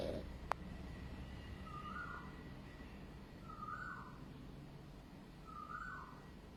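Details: A male white-and-black French Bulldog born in August 2020 snores in slow, raspy bursts, one breath about every two seconds.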